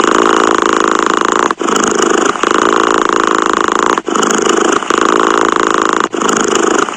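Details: Close, continuous purring from a cat, a buzzy rattling hum in long exhale stretches separated by brief quieter inhale phases about every two and a half seconds.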